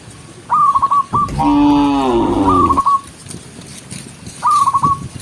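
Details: Gentle cattle herded along a countryside path at sunset; one loud, drawn-out moo of about a second and a half, slightly wavering, framed by short fast chirpy trills before and after.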